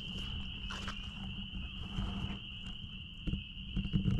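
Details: Chorus of spring peepers behind a blueberry farm, a shrill unbroken wall of high peeps holding one pitch throughout, over low background rumble and a few soft thumps and rustles.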